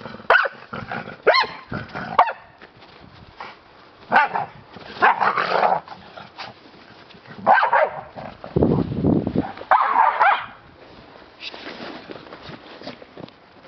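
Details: American Staffordshire Terrier family: sharp, harmonic barks come in short irregular bursts, some doubled, with rough lower growling and noisy scuffling between them and a broad low rumble near the middle.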